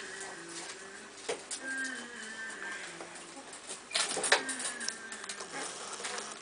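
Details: Two-week-old puppies of the E-litter of the Holy Mountain, from Moon and Frosty, give soft tonal whines and short rising squeaks in scattered bursts, over rustling and light tapping in a quiet room.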